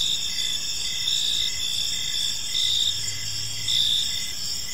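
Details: Crickets in a park at evening: dense high trills with a louder chirp recurring about once a second, a brief low hum midway, and soft background rumble.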